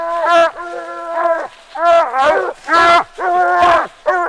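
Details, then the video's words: A 6-month-old Phrogger pup, a young hound on its fourth night out, comes treed at night with very loud drawn-out bawls. Six ringing, howled notes follow in quick succession, each under a second long, separated by short gaps. "Loudest Pup I’ve ever heard. 6 month old Phrogger Pup coming treed"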